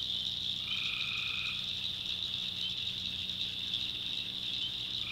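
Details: Tree frogs at night in a North Carolina swamp: one sustained tonal call of about a second rises out of a continuous high-pitched chorus, with a steady low hum underneath.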